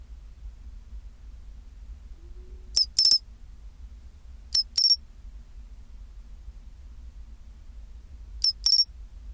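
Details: At 24°C, a pine cricket gives its chinchirorin phrase three times, each a quick pair of sharp, tinkling high chirps, spaced about two and four seconds apart, with long quiet gaps and a soft low hum.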